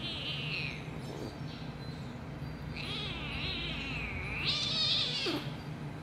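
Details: Kittens giving three drawn-out, high-pitched mews, thin and wavering, each lasting under a second and spaced a couple of seconds apart, over a steady low hum with faint background music.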